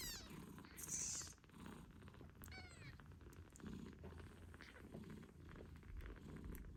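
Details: British Shorthair mother cat Moon Stone with her kittens 8 days after birth; quiet low purring under a few high rising kitten squeaks and meows early on, with a brief sharp hiss-like noise.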